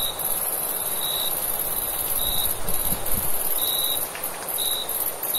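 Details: Crickets chirping on a summer night, their sparse short pulses spaced unevenly above a continuous high trill, with low rumbling noise underneath and a few faint thumps.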